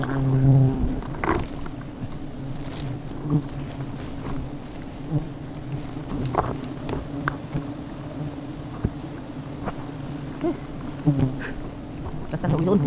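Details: Honey bees at a hive on the tip of an umbrella make a steady, low droning hum throughout, with scattered clicks, knocks and brief human voices over the buzzing.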